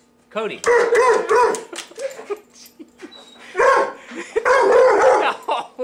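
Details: Dog protesting a vacuum cleaner with loud, raspy barks and a drawn-out yowl, mixed with a man repeatedly calling and talking to it indoors.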